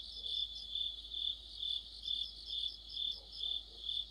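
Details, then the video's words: Autumn insect orchestra of crickets by a streetlamp, a shrill continuous trill rising and falling in regular pulses about twice per second, layered chirps above it, faint low murmurs in the background. "가을의 한 복판 곤충들의 합창"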